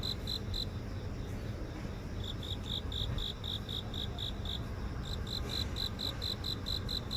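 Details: Grass insects in a residential garden in the heart of Seoul, captured by phone: a string of evenly spaced high chirps, about four per second, briefly pausing, with continuous urban background rumble.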